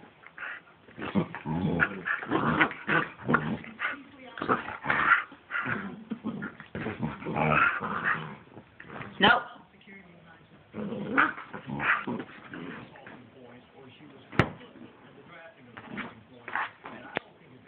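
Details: Gracen, a 7-week-old puppy, biting and playing with Aspen, a husky: bursts of rough growls and whines come in clusters with pauses, while people talk throughout and one sharp click sounds near the end.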